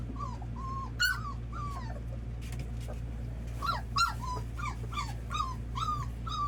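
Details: Red Labrador Retriever puppies being introduced to their first meal of milk; a string of high, thin whines and squeaky yelps, each arching up then dropping, come every second or so over a low background hum.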